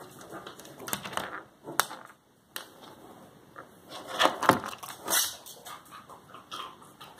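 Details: A Cocker Spaniel (Canis familiaris) eats cashews, with sharp irregular crunching snaps and softer chewing between them.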